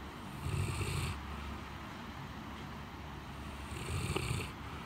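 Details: A sleeping Great Pyrenees named Blanche snores deeply indoors in the cool on a hot day after a typhoon. Two throaty rasping snores about three and a half seconds apart, each with a soft airy whistle, sit over a faint constant hum.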